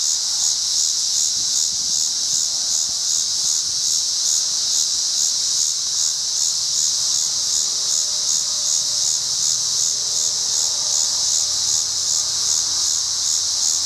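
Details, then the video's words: Tibicen dealbatus cicada walking and calling in a tree at a Colorado rest area on I-70 between Bennett and Strasburg, 7:44 p.m., August 25, 2011, dark before a storm; loud continuous high buzz with faint rapid pulsing, low wind rumble beneath. "T. dealbatus walks and calls in Colorado"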